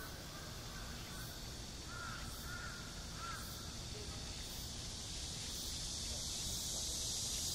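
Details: Midsummer cicadas buzz outside Gwanjeong Library on the Seoul National University campus, a steady dense hiss high overhead. A few short chirping bird calls sound in the middle, and the buzz swells slightly toward the end.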